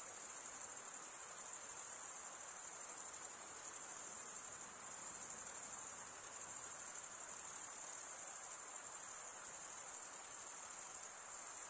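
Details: A constant, piercingly high cricket chorus of males stridulating with their wings, steady and dense with faint pulsing texture and no break. No other creatures or noises are heard.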